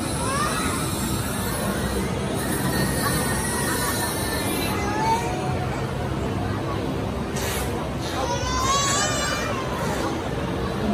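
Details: Captive bottlenose dolphins, apparently at SeaWorld Orlando, Florida, give thin, rising and falling whistles, almost like a baby's cry, over a steady wash of noise.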